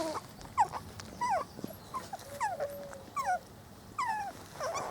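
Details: Garden outing for a four-week-old Spanish Water Dog litter: sharp yelping whimpers that slide downward, repeated roughly every half second, with one steady drawn-out whine among them.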